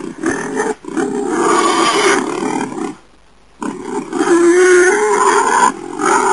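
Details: Wild boar calling: harsh, rough growling roars that run on for seconds, broken by a brief silent pause midway before the gruff, rasping sound resumes.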